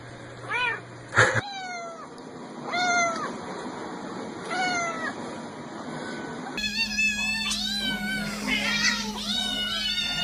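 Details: Cats and kittens meowing: a sharp knock, then several short descending mews every one to two seconds, followed after a cut by a louder stretch of overlapping wavering meows from more than one cat.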